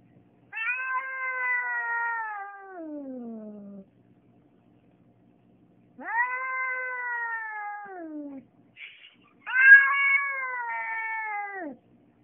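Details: Pet cat reacting to another cat outside the window, giving three prolonged harmonic yowls that start high, hold, then droop low at the end, each lasting roughly three seconds, separated by short silences.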